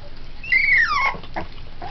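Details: Three-week-old Pit Bull puppies eating puppy formula and playing with each other; one pup gives a single high whine that slides steadily downward for about half a second, followed by soft short squeaks.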